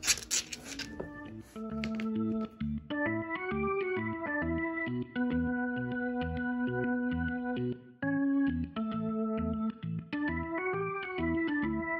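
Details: Electronic organ music plays a steady melody throughout, with a brief noisy burst at the start, and no animal voice is heard.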